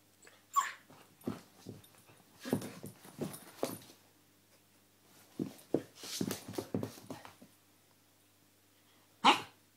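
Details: Siberian Husky pup Angel in a wild play fit indoors: scuffling and rustling noises with soft whines, short yelps, and one sharp bark near the end.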